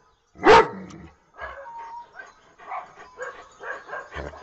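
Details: Domestic dog giving one loud, sharp bark, followed by several seconds of softer, broken mid-pitched sounds.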